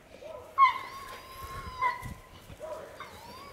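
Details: Alcatraz and Ehdzi, two Dogo Canario dogs at home in their backyard: high, drawn-out whimpering whines, three in quick succession, the first two long and steady and the last one shorter and rising, with only faint background rustle.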